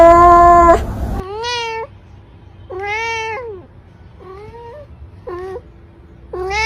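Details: Domestic cat meowing indoors: a series of clear, rising-then-falling tonal meows with rich harmonics, about five calls spaced roughly a second apart, after a brief louder burst at the start.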